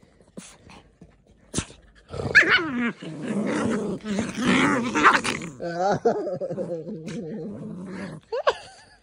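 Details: Two puppies, a poodle and a maltese, tussle in a mock fight: a long stretch of harsh wavering growls rises into whiny snarls, with short yips and scuffling, and a high yelp near the end.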